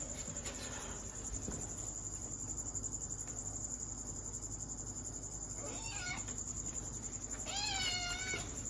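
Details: Kitten meowing: after several seconds of steady background hiss, two short, high meows come near the end, the second with a slightly wavering pitch that slides downward.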